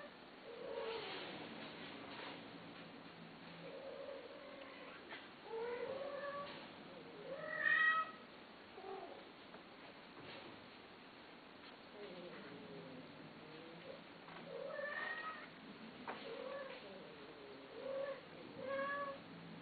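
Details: Cats being sold, meowing repeatedly in a small indoor room. About a dozen short, wavering mews come in bursts, one louder, sharper cry near the middle. Occasional faint knocks sound behind the calls.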